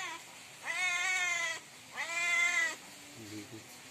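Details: Cat calling loudly at night for food with two strained, bright meows of about a second each, sharply rising at the start, followed by a faint low murmur.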